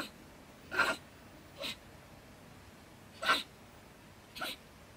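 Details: Stone marten, a female dwelling in stacked wood by a shed in Germany, scolding furiously at about 10 pm; four short explosive, broadband barks spaced irregularly over five seconds.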